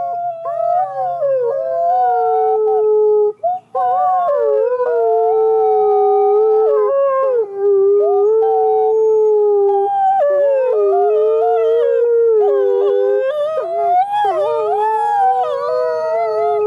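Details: Two captive-born gray wolves at a wolf conservation center in South Salem, New York, give long, sustained howls that slide gently up and down in pitch, on a clear autumn day.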